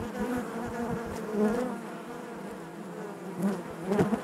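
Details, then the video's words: Honey bees buzzing naturally inside their hive: a dense, steady low drone with layered harmonic hum, swelling briefly louder around the middle and near the end as individual bees pass close. "bees therapy hive natural buzzing sound"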